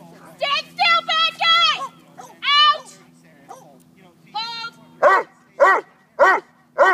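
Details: Boss, a Neapolitan Mastiff in bite work and bark-and-hold training, gives a run of deep barks near the end, each a short harmonic burst about half a second apart. Before that come a person's voice and whine-like sounds.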